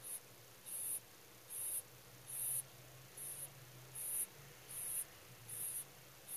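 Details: Soundly sleeping rabbit snoring: eight thin, airy, high-pitched puffs, evenly spaced at a bit under one second apart, with nothing else but a low background hum.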